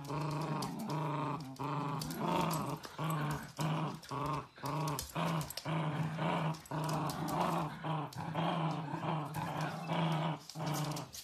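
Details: Playful miniature dachshund growling indoors: a run of short, throaty harmonic growls in bursts of about half a second to a second, broken by brief pauses and carrying on steadily throughout.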